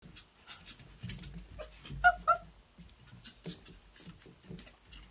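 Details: Three puppies at playtime, a black and white female Havanese with a male and a female white and tan Shih-Tzu; two short high yelps stand out near the middle among soft scuffling and panting.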